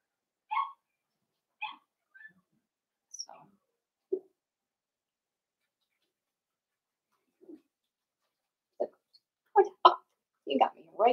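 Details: Blenheim Cavalier King Charles Spaniel puppies, a litter of five born at New Year's, give scattered short yips in their indoor pen. Two clear harmonic yelps come first, then sparse faint sounds, then a quick cluster of louder squeaks and yips.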